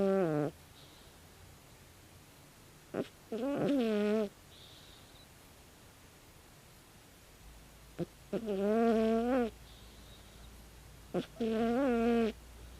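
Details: Loud snoring of a 16-year-old calico cat while asleep, voiced buzzy rasps of about one second each, recurring roughly every four seconds with quiet breathing gaps between them.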